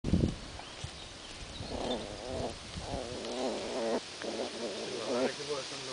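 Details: A Jack Russell puppy, digging, makes low, warbling grumbles and whines in short bursts, with scratching noises at the start.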